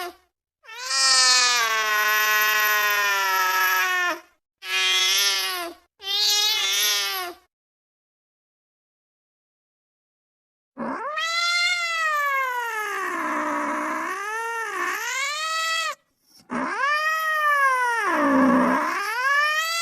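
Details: Angry cat yowling: three harsh, steady wails, a pause, then long wavering howls that dip and rise in pitch, whining and threatening in tone.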